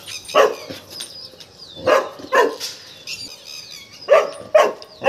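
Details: Tiger, a Golden Retriever frightened by a peacock, barks in irregular pairs, about six sharp, mid-pitched barks, over faint high whistled background tones.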